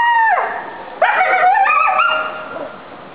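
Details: Captive coyotes at a living museum, responding to a neighbouring fire station's siren, give a clear high howl that drops sharply, then quavering rising-and-falling notes with short yips, fading toward the end.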